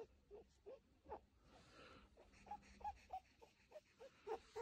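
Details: A female pet rabbit purring gently in soft, quick, snuffly pulses, about three or four a second.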